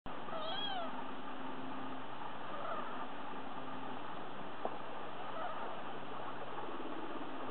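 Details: Three-day-old Sphynx kittens, three in the litter, giving a few thin, high, arched mews near the start and again faintly later, over a steady low hum.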